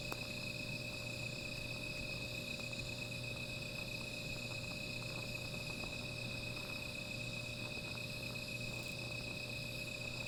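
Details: A steady, shimmering high insect drone fills the night beside a small fire, constant in level, with faint scattered ticks and a low electrical-like hum beneath.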